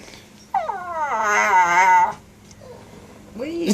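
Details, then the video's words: Keita, a pet dog, making weird sooky sounds indoors: a drawn-out wavering whine-howl of about a second and a half, then a short rising squeak, with a faint steady hum underneath and brief speech nearby. "Keita making weird sooky sounds"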